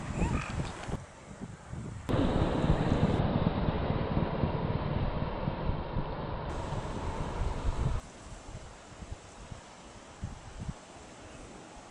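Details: Only a low rumble of wind buffeting the microphone and what may be a distant engine; no animal voices can be picked out.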